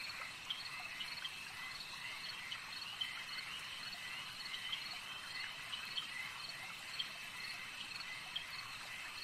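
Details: A lakeside frog chorus at night, a constant high-pitched shimmering drone with small clicks and brief croaks popping up every second or so, quiet and even without other clear sounds.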